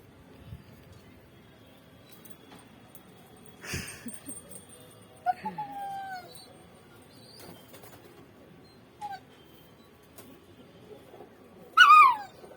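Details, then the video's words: Pet dog whining to be let outside, heard as brief, scattered descending whines with a louder high whimper near the end and long quiet stretches with soft knocks between them. "my dog is talking"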